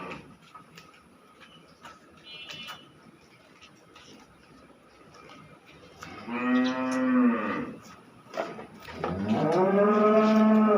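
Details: Cow in Khulna, Bangladesh, a second-calving dairy animal giving about 37 litres, silent at first, then two drawn-out lowing moos, the second longer and rising, over faint background hum.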